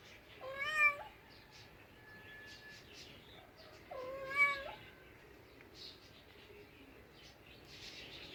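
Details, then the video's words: Two clear cat meows, about three and a half seconds apart. Each is a bright, nasal cry that holds steady, then drops away. Quiet room hiss fills the gaps. "Cute talking cats, Funny cats sounds for lonely cats"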